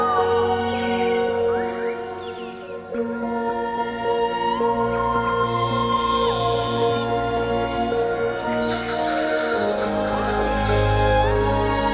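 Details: Calm new-age style music fills the whole passage, with held chords and slow melodic lines. No animal call stands out above the instruments.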